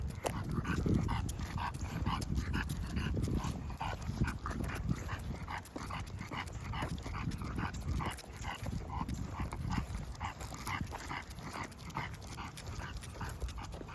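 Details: Heavy, fast panting from an English bulldog out walking, a steady train of raspy breaths with nasal resonance, set against a constant low rumble of outdoor background noise.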